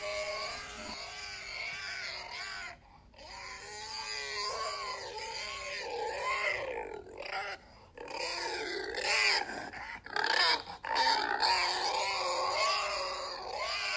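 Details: Pig (Sus domesticus), squeals.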